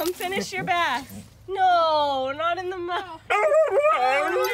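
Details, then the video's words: Husky throwing a tantrum while being given a bath, voicing loud, drawn-out wavering yowls and whines with rich harmonics, sliding up and down in pitch in several separate bursts. "Husky Throws Tantrums While Pet Parent Tries to Give him Bath"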